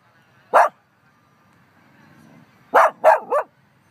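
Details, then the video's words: Sadie, a dog in Humboldt Park, barking at nobody: one sharp bark, a pause, then a rapid burst of three barks close together. "Sadie barks at nothing and everything at the same time"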